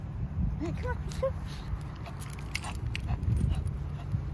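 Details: Lacey, a Shih Tzu dog, on an outing to PetSmart for prescription food and treats: a few short, thin, rising-then-falling whimpers in quick succession near the start, over a steady low store hum with faint voices.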